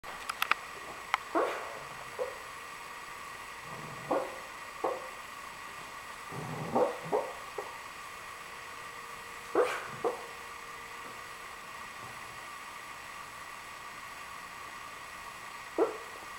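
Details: Riley, a Cavalier King Charles Spaniel, vocalizes while having a wild dream, letting out brief muffled yips and whimpers in irregular bursts, some in quick pairs, separated by stretches of quiet breathing.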